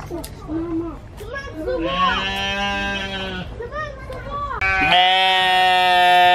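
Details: Human-sounding scream from a goat: two drawn-out, harsh bleats, the second louder and sustained to the end, mixed with people chattering nearby.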